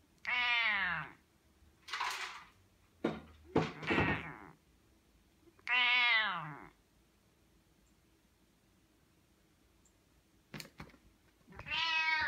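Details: A Bengal cat gives several lazy, drawn-out, harmonic meows with a few soft thumps between them.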